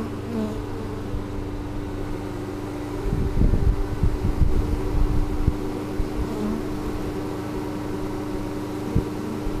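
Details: Honey bees in spring 2013, signalling emphatically after their hive was cleaned and moved following overwintering, recorded on a GoPro Hero3: a steady low droning hum throughout, with a louder rumbling, crackling stretch around the middle.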